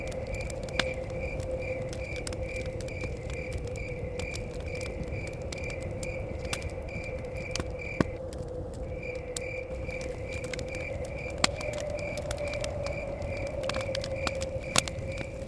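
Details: Crickets chirping beside a forest cabin: a steady, high, evenly spaced string of short pulses, several per second, pausing briefly midway before resuming. A low steady hum of blowing wind lies underneath, and sharp pops of crackling fire break in.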